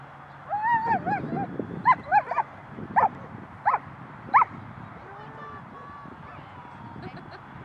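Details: A small young female dog playing rough with bigger dogs at a dog park in January 2020; a series of short, high, rising yips and whines, about six bursts over four seconds, over steady background hum and distant voices.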